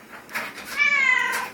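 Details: Domestic cat complaining after getting stuck in a tree, a drawn-out falling meow with a brief earlier chirp, owner speaking just before and after indoors.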